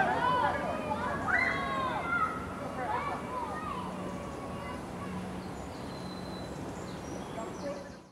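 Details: Red foxes sunbathing, making the same noises as when mating: a series of wavering, screaming and whining calls in the first four seconds, fading to quieter background murmur with a steady low hum.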